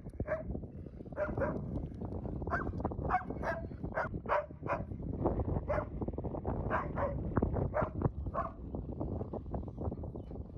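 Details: A loud, mouthy Siberian Husky playing with wolfdogs on a windy afternoon gives a run of short, yappy grumbles and whiny barks over steady wind; these are play vocalizations.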